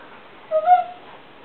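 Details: A female Siberian Husky gives a brief, tuneful, rising whine-like 'talking' sound, trying to get the attention of another dog that is napping.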